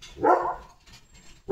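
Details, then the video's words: Leo, a pet German Shepherd, after a bath: one loud, full bark fills the first half-second, then a near-silent gap before a second bark begins at the very end. "Leo The German Shepherd ला दिली स्वच्छ अंघोळ"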